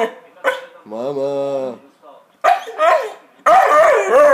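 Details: Pet Magyar vizsla, a Hungarian Vizsla, trying to talk to its owner. A short steady moaning howl comes between a woman's Czech speech, then wavering yodel-like vocal sounds at the end.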